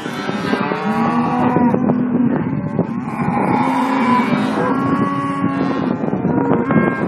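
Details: Chorus of Simmental calves kept on a farm in Kars, Turkey: sustained, droning moos overlap without pause. Long steady low tones are held for a second or more beneath busier higher bawling.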